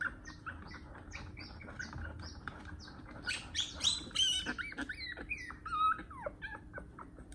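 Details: A one-month-old puppy, its long nails being clipped, gives a rush of high squeaky whimpers and short downward yelps, sparse at first and then louder and denser in the second half, over a faint steady hum.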